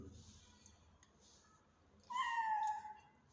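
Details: Hungry mother cat that is not nursing her kittens gives a single clear meow, starting abruptly and gliding downward in pitch, after a quiet stretch with faint background noise.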